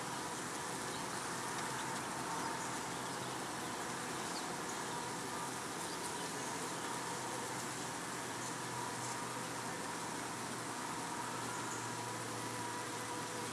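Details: Italian honey bees at the hive in the evening, workers washboarding in large groups, rocking back and forth, while others come in for the night; a steady, dense hum over a low drone runs unbroken throughout.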